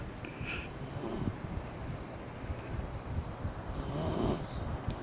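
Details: Sleeping Shiba Inu Eri-chan, eyes open, snoring in summer; two hissing, breathy snores about three seconds apart, each with a thin whistle, over steady low background rumble.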